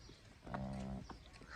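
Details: Cholistani Friesian cross cow offered for sale gives a short, low, droning moo lasting about half a second, with faint clattering and outdoor rumble around it.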